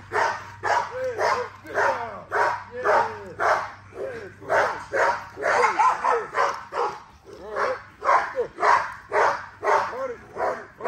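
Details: A female XL American Bully being exercised shows strong drive, giving a steady run of short, harsh barks about twice a second, each with an arched, rising-falling tone, while people talk and cheer in the background.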